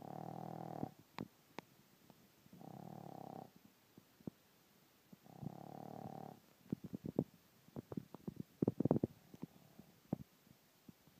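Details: A 10-week-old Boston Terrier puppy snores like a human in low, rasping breaths that come roughly every two and a half seconds.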